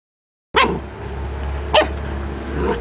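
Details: Standard poodles at home: Juki, a mother growing up with her puppies Rufous and Brutus. Two sharp, loud barks about a second apart, then a softer third bark at the end, over a steady low hum.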